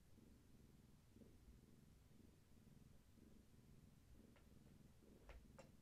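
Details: Low, steady purring from Gaia, a pregnant long-haired tabby whose kittens are active, as she rests indoors with a person in the afternoon. The purr throbs in soft, even waves, and a couple of sharp ticks come near the end.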